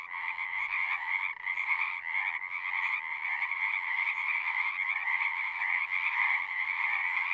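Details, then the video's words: Unbroken chorus of singing frogs, a thick pulsing trill of many overlapping voices holding steady in loudness throughout. "One hour of singing frogs."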